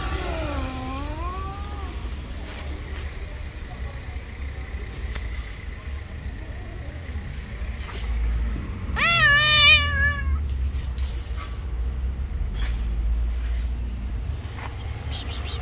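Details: Street cats that dislike each other meet and fight: a bending moan early on, then a loud quavering yowl around the middle, with hiss-like bursts afterward and traffic rumbling throughout.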